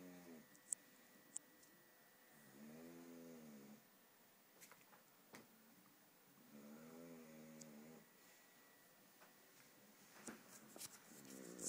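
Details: Polo, an English bulldog, snoring: two rasping, wavering snores a few seconds apart, quieter than the room's clicks and small knocks in the background.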